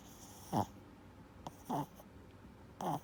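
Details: Four-year-old blue-haired male Chihuahua with reverse sneezing, snoring while asleep indoors: short snorting breaths recurring roughly every one to one and a half seconds, each a brief rough burst over a low hum.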